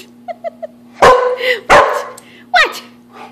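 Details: American Bulldog indoors during an early-morning run around the house: three soft, short high whines, then three loud, harsh barks roughly a second apart, the last one rising sharply before dropping away.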